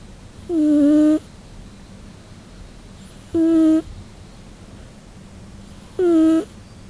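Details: Sleeping Scottish Fold cat, Nano-chan, snores in three breaths: each a brief reedy, whistling tone that wavers slightly in pitch, spaced about two and a half seconds apart, with a steady low hiss between.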